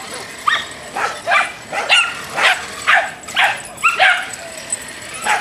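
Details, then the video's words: Angry Dachshund in road rage, barking in short, shrill yelps repeated roughly twice a second, some barks breaking into a higher squeaky edge. "Dachshund road rage"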